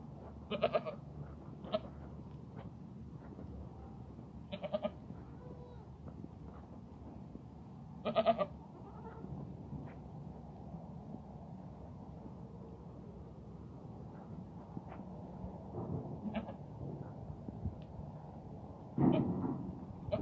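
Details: Goats from a herd of thirteen head with a buck, at Al-Arfa in Taif, give short bleats at scattered moments, several brief calls over a steady low hum with faint background voices.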